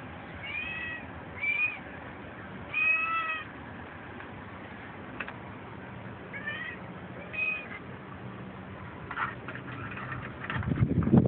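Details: Manx Siamese cat on a balcony, being playful and wanting attention, gives a series of short rising-falling meows in clusters, about six calls spread over eleven seconds, with a low rumble of background noise and a louder thump at the end.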